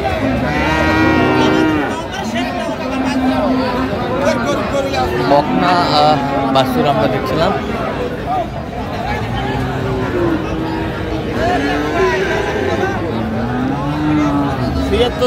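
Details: Friesian and crossbred heifer calves at Raniganj haat cattle market, Dinajpur, on 29 January 2025; drawn-out, low, even moos rise repeatedly through a loud crowd of bargaining voices, with background music.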